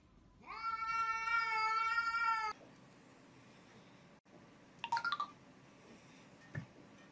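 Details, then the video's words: Kitten meowing indoors: one sustained, clear, tonal meow lasting about two seconds that stops abruptly. A short, squeaky call follows a few seconds later amid low room noise and a soft knock. "CUTE KITTENS MEOWING"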